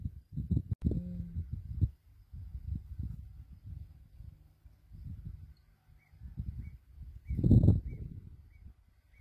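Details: African lion: low, rumbling growls with a harmonic moan near the first second, then a run of deep, uneven grunting pulses and a louder rasping burst late on; faint high chirps in the background.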